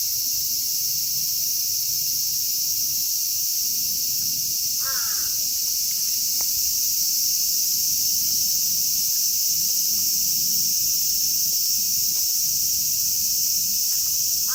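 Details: A Japanese cicada chorus recorded in Kitatama District, Tokyo, the species present being Platypleura kaempferi, Graptopsaltria nigrofuscata and Hyalessa maculaticollis; a continuous, even, shrill sizzling carries on throughout, and one brief crow caw is heard about a third of the way in.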